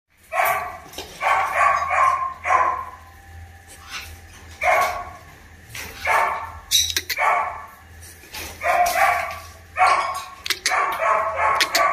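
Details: Tibetan Mastiff female puppy from imported parents barking in bursts of short, rough barks, clustered in groups of two to four throughout, with a steady low hum behind.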